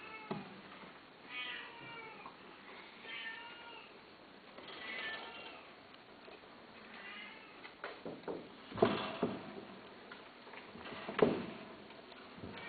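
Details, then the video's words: Persian (Shirazi) or Himalayan cats, male and female indoors during mating, a series of short harmonic meows roughly every one to two seconds, some wavering, followed by sharp thumps and knocking sounds near the end. "شيرازي همالاي تزاوج قطط انثى ذكر"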